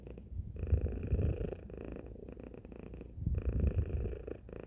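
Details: Domestic cat named Tacy giving a loud purr: a low, steady rumbling drone that swells twice with each breath, with quieter dips between the louder surges.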